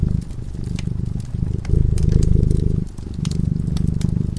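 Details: Slumbering cat near a crackling fireplace gives a low, buzzing purr, louder in the middle breath and softer at the ends, while the flames pop and tick in the background.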